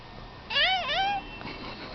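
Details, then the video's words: House cat talking with its owner indoors, giving a two-part meow: a bright rising-then-falling note followed straight away by a second, longer arched note, then quiet room tone. "My Talking cat"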